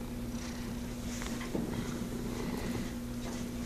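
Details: Cat purring softly indoors, a faint steady rumbling hum beneath broad background hiss.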